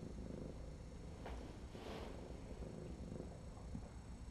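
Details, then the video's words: Feral she-cat heavily infested with lice purrs at her February 2018 intake exam, enjoying the cleaning of her crusty foot; continuous low, grainy rumble fills the recording, with brief soft rustles near the middle. "infested feral cat starts purring during intake"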